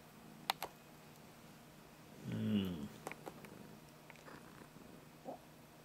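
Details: Pet cat answering its owner indoors with a single drawn-out, low, rich meow lasting under a second, followed by a short faint higher mew; soft clicks and taps in a quiet room.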